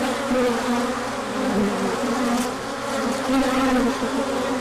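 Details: Bees pour out for a big orientation flight when the sun returns after colder weather, March 2024; a thick, even hum of countless wings with brief rising and falling whines of passing bees.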